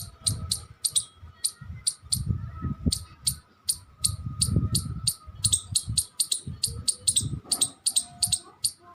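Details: Squirrel giving short, shrill chip notes, sometimes paired, repeated quickly over low rumbling thumps and a steady faint hum.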